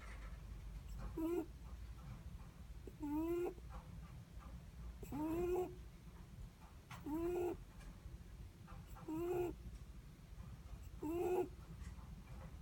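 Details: Netherland Dwarf rabbit sleeping and snoring softly: rising whistled squeaks with a hissy breath attached, six of them at even two-second intervals, over low indoor hum.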